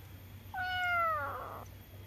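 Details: Single drawn-out meow from a domestic cat, starting abruptly, holding a steady tone with strong harmonics, then fading with a slightly rough, falling end. A low hum runs underneath an otherwise quiet indoor setting.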